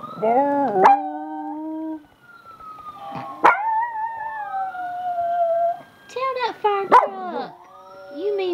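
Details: Household dog's evening howl session with family, prompted by videos: several long, steady, mournful tones separated by short sharp breaks, with a second voice bending downward and then rising again toward the close.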